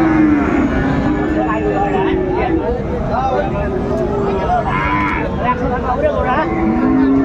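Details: Cattle market at Raniganj, Dinajpur, Bangladesh, 2 January 2025, where Friesian and crossbred bull calves are sold; short, tonal lowing moos at the start and end amid busy haggling voices and crowd noise.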